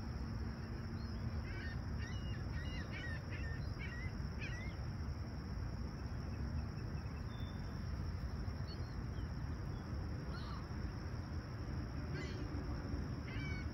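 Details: Summer morning crickets at Humber Bay Shores, Toronto, July 28, 2020, sounding a constant high trill while scattered groups of short bird calls break in around two, four and twelve seconds, all over a low steady rumble.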